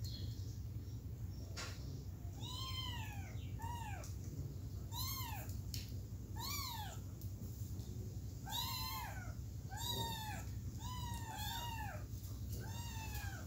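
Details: Three kittens wanting to return to their mother meow repeatedly: about a dozen high, arched calls, each rising then falling with bright overtones, often in quick pairs, over a constant low background hum.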